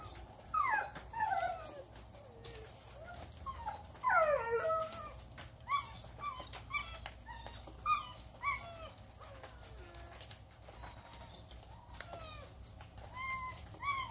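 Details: Neighbour's dogs in Omao, a constant nuisance, barking and yelping in a rapid irregular run of sharp, tonal, falling and rising barks, several clustered then scattered, over a steady high-pitched insect drone throughout.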